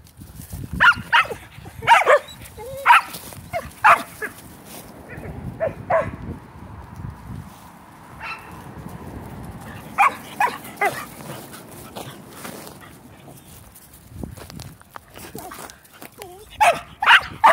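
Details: Female Shetland Sheepdogs at ball play. Sharp barks come roughly once a second at first, then fall to scattered single barks over a steady background hiss, with another short volley at the close.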